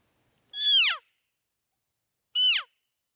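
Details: Bull elk during the rut, seen among more than 16 bulls in one season. Two loud, high whistled calls, rich in harmonics, each sliding steeply downward. The first lasts about half a second; a shorter one follows two seconds later, with silence around them.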